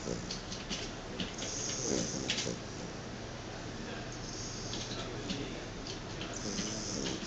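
A Chow Chow snores with rough, breathy rasps that swell and fade with each breath.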